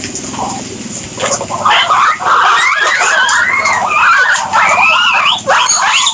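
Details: Guinea pigs giving loud, continuous wheeking squeals, wavering and rising tones layered together almost without pause, after a brief low rumbling start.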